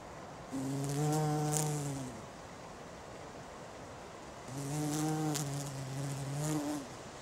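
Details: Bumblebee on a flower, humming in two low droning bursts of about one and a half and two seconds, each swelling and then fading away, with a quiet gap between them.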